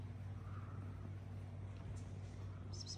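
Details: A steady low engine rumble from a nearby vehicle fills the clip, with no clear animal voice.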